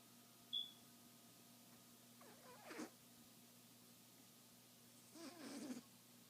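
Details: Pet cat named Peaches snoring while asleep and dreaming indoors; two soft, breathy, raspy snores about three seconds apart, the second longer and rougher, over a faint steady electrical hum and a brief click near the start.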